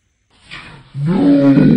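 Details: Knox, a caged pet chinchilla, screams for attention, wanting out to play after a late cage-cleaning and playtime routine; a soft breathy onset gives way to a loud, harsh, harmonic cry held for under a second in a small room.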